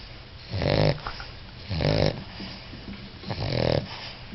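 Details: A four-month-old English Bulldog puppy snores in deep, rattling breaths about every second and a half.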